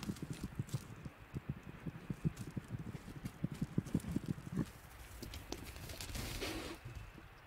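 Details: Wild Tasmanian devils (Sarcophilus harrisii) in the Tasmanian bush, where squabbles over food are often heard at night, give a deep, rattling growl of rapid low pulses, then a brief harsher snarl.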